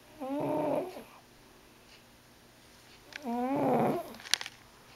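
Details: Freddie, a large white diabetic cat, snores loudly in his sleep: two long, rough, whistling breaths about three seconds apart, each buzzing with a rising, wavering tone, and a few small clicks after the second.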